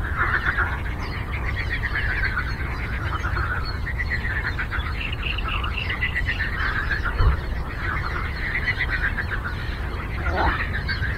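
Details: Frogs calling together on a lake, a thick, continuous layer of throbbing, trilled croaks from many animals overlapping without pause, over a low background hum.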